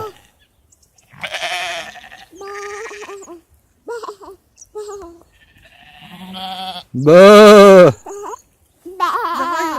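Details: Sheep bleat near the end, a single strong quavering call that rises and falls, set among bursts of Polish speech and other voices calling out to the animals.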